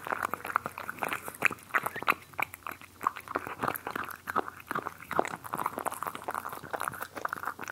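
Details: Cats eating, recorded up close: rapid crisp crunches and chewing clicks, several each second, keep up an even, steady rhythm from start to finish.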